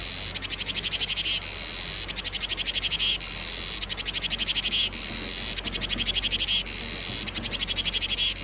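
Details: Summer cicada chorus of shrill, buzzing pulse trains, each burst roughly one second long with fast regular clicks, separated by short gaps and recurring steadily throughout, a soft low rumble underneath.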